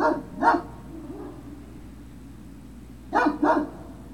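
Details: Two quick double barks from Great Dane puppies at Puppy Hill, recorded 03-06-2019, the pairs about three seconds apart with near-silence and a low hum between them.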